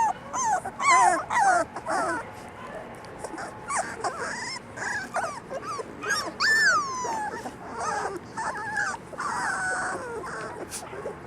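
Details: Litter of black and yellow English Labrador Retriever puppies at four weeks old, whimpering and whining continuously with overlapping rising and falling squeaky notes, plus scattered higher yips and rustling.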